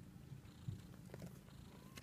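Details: Munchkin kitten, 14 days old: continuous low, rough purring rumble throughout two seconds, with faint higher squeaks and rustling on top.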